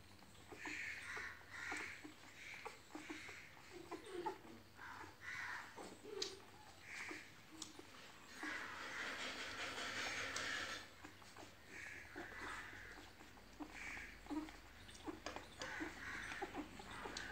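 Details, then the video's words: Beagle puppies recorded on 6 November 2021, giving a string of short, high whines and yelps, several repeated every second or so, with a longer noisy burst midway and low indoor background hum. "Beagle Puppies"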